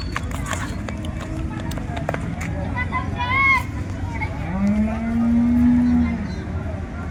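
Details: Holstein Friesian cow mooing at the Loni cattle market on 30 December 2025, with one long, level, deep moo lasting about two seconds near the end, amid loud crowd talk and a brief higher cry.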